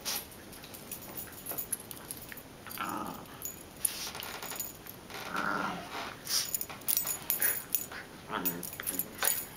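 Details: Two pet dogs, Duffy and Teddy, playing together: short, low, rough growls surface near the third and fifth seconds and again at the end, amid scuffling, thumps and breathy bursts of play.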